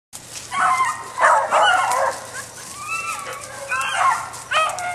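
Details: Beagle barking and yelping in short bursts, several harsh barks followed by higher whiny yips, with a person urging the dog on.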